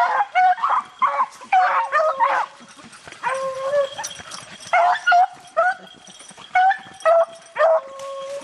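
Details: Beagles baying while rabbit hunting in the rain: a run of short, ringing bawls and yips in quick bursts, several dogs overlapping, with steady hiss of rain behind.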